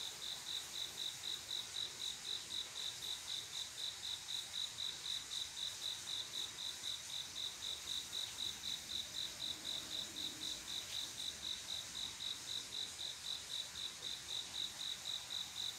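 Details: Male cricket singing to call a female to mate on a quiet summer night: regular high-pitched chirps, roughly four each second, continuing without a break against a soft background hiss, with one brief faint click.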